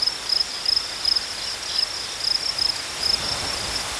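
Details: Chirping crickets deliver high, clipped bursts in small clusters roughly every third of a second, pausing briefly near the middle before resuming, with a quiet hiss of outdoor noise underneath.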